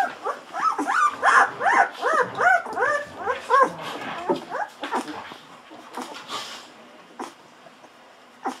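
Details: Hungry Golden Retriever puppies on day 14, drinking milk from a bottle. A quick run of high, squeaky, arched whimpers, about three a second for four seconds, then softer scattered squeaks and clicks as the feeding goes on.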